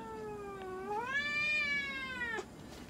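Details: Munchkin cat named Moka at a veterinary clinic in Nagoya, Japan, during an examination and blood draw; one long drawn-out meow that starts low, rises and holds steady, then breaks off sharply after about two and a half seconds.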